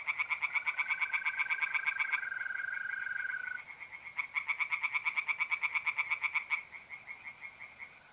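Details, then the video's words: Pond tree frogs by night in north-east Italy in mid-April, calling in loud rapid pulsed rattles, two long bouts of about two seconds each, while a mole cricket holds a smooth, steady trill between them. "relaxing singing tree frogs in pond"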